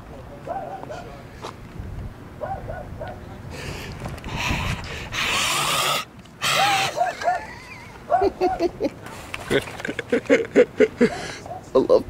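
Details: Small dog inside a parked car barking at a passer-by walking close to it; a run of short, sharp yaps, a loud rushing burst like wind or handling noise midway, then quicker repeated barks near the end.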